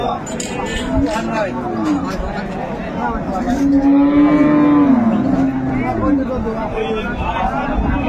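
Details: Improved-breed dairy cow with her calf at Ambari livestock market, Dinajpur, on 22 April 2024: a drawn-out, level moo swells midway and then sags in pitch, set against steady crowd chatter and nearby talking.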